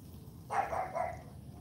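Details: Female AKC Cane Corso puppy named CHARME barking on cue in a morning training session: two quick barks in close succession, the second shorter and softer, over a low background hum.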